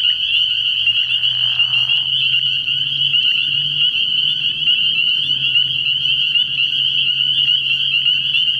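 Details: Spring peepers at a frog pond at night in early spring, a steady shrill chorus of overlapping high peeps, a lower rattling trill in the first two seconds, and a deeper droning hum running through the background.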